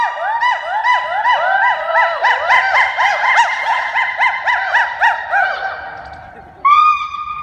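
A gibbon sings loud, rapid whooping notes that swoop up and down, siren-like.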